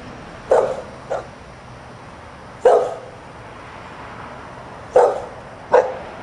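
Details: Outside on a Sunday morning with the family indoors, a dog barks in irregular pairs and singles, short punchy barks separated by pauses of about two seconds, faint steady hum behind.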